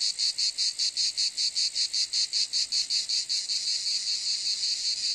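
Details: Cicadas give a shrill, sizzling buzz chopped into clear rhythmic pulses about three a second, which blur into a nearly continuous drone in the last second.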